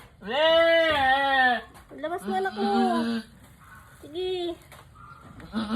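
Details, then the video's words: Mother goat struggling through a difficult birth, giving three loud, quavering, harmonic bleats, the first long and wavering, the second shorter, the last brief, with a person's low urging voice between them. "Nahirapan manganak ang inahing kambing"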